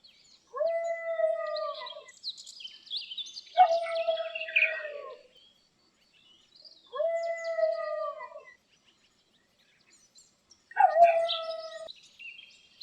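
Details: Dog moaning while lying down: four drawn-out, steady, mid-pitched moans of about one and a half seconds each, spaced several seconds apart. Some end in a wavering drop, and faint high chirps sound in between.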